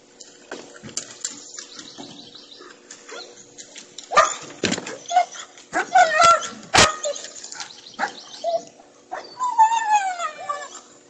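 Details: Pregnant German Shepherd asking to go swimming: high, wavering whines and yips with short barks in between, rising and falling, sometimes in quick bursts, over about eleven seconds.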